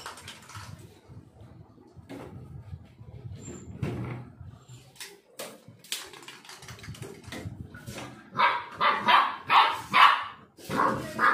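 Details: Black Labrador Retriever from Kerala, a one-year-old growing up from a puppy; quiet shuffling and faint noises at first, then a quick run of loud, sharp barks near the end.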